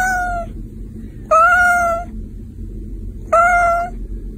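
A Persian cat gives drawn-out, even meows, one roughly every two seconds.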